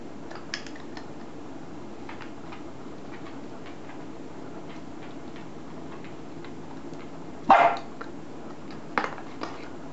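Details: Two Shetland Sheepdogs, a male and a female, tussle over a ping-pong ball indoors at a Japanese inn, the female taking it. Quiet room hum for most of the stretch, then one sharp bark near the end and a shorter second bark after it.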